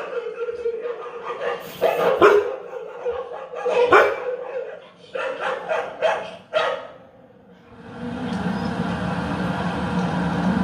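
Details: An Akita Inu gives a few deep, gruff barks, spaced irregularly, before a low rumbling noise takes over.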